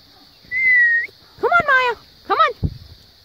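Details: Maya the Siberian husky tells Jo, an Australian cattle dog, to get down from the play set and play. A steady whistle-like tone is followed by two quick, warbling, yodelling yowls, then a soft thump, over a constant high hiss.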